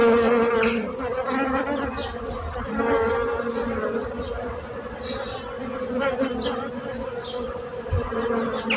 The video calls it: So brutzit abelles - Bees sound - Bees buzzing sound effect